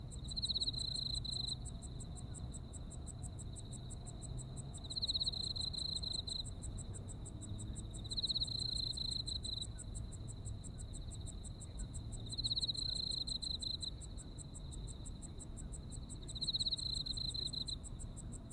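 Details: Insects calling on an autumn night in Japan: rapid high pulses and a sustained shrill trill throughout. A louder rasping trill bursts out about every four seconds, five times, with a low rumble beneath.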